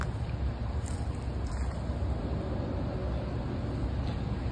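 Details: Steady low rumbling wind or engine noise with no animal sounds.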